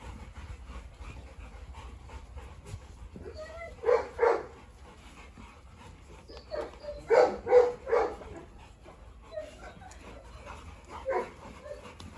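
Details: Dogs on a farm, a Presa Canario female named Huniu confronting a Rottweiler while a Staffordshire terrier joins in; short gruff barks come in scattered bursts of two to four, with quiet gaps between and low background hum.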